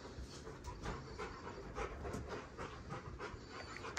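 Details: Pet Rottweiler on a family ranch panting while meeting a newborn six-pound baby; soft, quick, breathy puffs recur in an uneven rhythm, faint and close, over a low indoor rumble.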